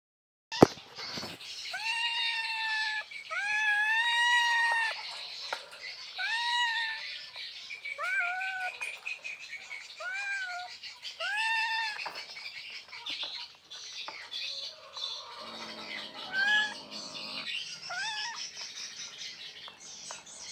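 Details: An Asian leopard cat in Indonesia gives a run of drawn-out, rising-and-falling yowls, wanting to mate.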